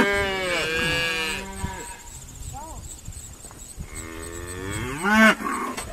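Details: Irish Dexter cows sorted on a noisy day at Stone Meadow Farm; a loud falling bellow opens, then short quieter moos and rustling, ending with another rising moo and a brief bright squeal.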